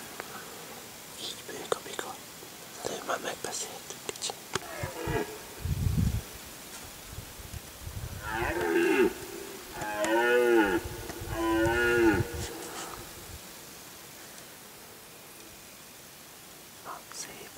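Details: A red deer stag roars during the rut near Galgamácsa, Hungary, in 2011, on one of the peak roaring days, in the afternoon or evening, in forest, a series of deep, groaning bellows that rise and fall.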